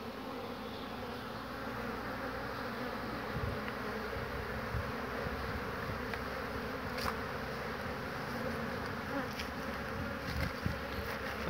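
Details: Many honey bees flying around old wooden hives in spring, 22 March 2019, some carrying pollen home. A continuous droning hum fills the clip, with a few faint clicks partway through.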